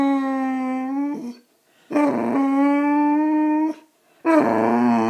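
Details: Attention-seeking Boxer Riley, a male dog, gives steady, sustained howl-like whines, three long even notes in about five seconds with short breaks between them.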